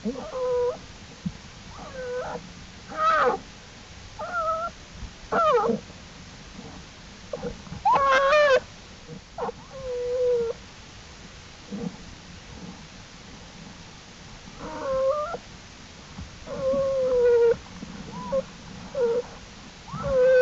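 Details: American black bear cubs out of the den with mother Jewel, April 2, 2012, Wildlife Research Institute study: scattered thin whining cries over twenty seconds, short and wavering, separated by low rustling background.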